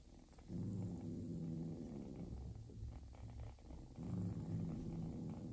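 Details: Purring of Joanna, a mother cat who accepted and fed a ginger foster kitten; a low, steady throbbing purr with brief pitched hums near the start and end, swelling after a quiet opening.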